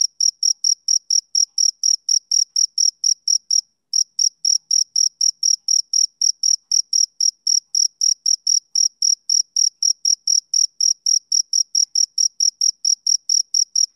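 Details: Shrill, regular chirps from a male cricket, about four a second. A short break near the start interrupts them before the even pulsing carries on. Otherwise quiet.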